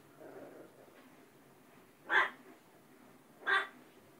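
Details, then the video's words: Talkative household dog on 19 September 2010 giving two brief barks spaced well over a second apart, somewhat softer, over faint indoor background noise. "Peanut barking"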